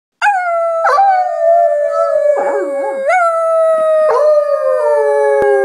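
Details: Black Labrador Retriever and coonhound mix dog howling; one sustained, rich-toned howl that sags gradually in pitch, broken by short upward yelping lifts about once a second, with a quieter wavering voice briefly underneath.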